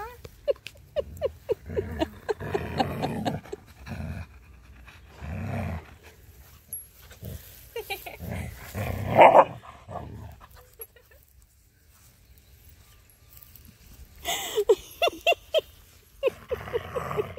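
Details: A female Siberian Husky gives low, rumbling growls and grumbles in bursts while being petted and given belly rubs, a happy habit, with a woman talking and laughing.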